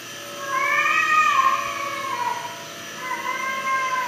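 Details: Cat crying hard while stuck in a room on a farm in South Korea, unable to get out; two long, drawn-out wailing meows with a falling tail, the first rising then sagging over about two seconds, against a steady background hum.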